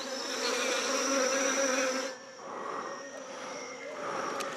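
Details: Wasps in French Guiana launching their first full attack on a researcher who has come within 3 metres of their nest; a dense, loud, continuous buzzing swarm that eases after two seconds into a softer, steady hum.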